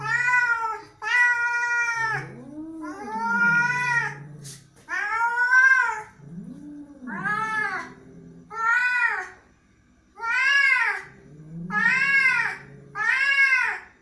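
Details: Angry cat in a small indoor space gives a long run of about nine harsh, bent meows, rising then falling. Lower moaning caterwaul sounds come between them, and the calls repeat every one to two seconds.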